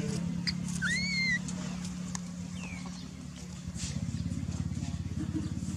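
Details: Baby macaque Dalton lying on the ground and crying while his mother Dolly ignores him; thin high whistled cries sliding up then down, three close together then one more, over a steady engine hum and patter.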